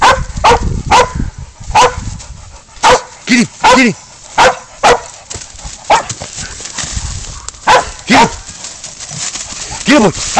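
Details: Spud, a pig dog, baying up a goat before a catch and release: sharp, repeated barks in irregular bursts, roughly two a second, with a man shouting encouragement and some drawn-out wavering cries between barks.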